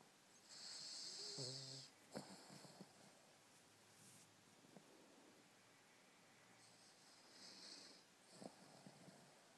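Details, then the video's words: Dreaming two-year-old Cavalier King Charles Spaniel named Elmo snoring: a raspy, breathy snore opens, then softer wheezing breaths and faint snorts follow at uneven intervals. "My dog Elmo dreaming and snoring"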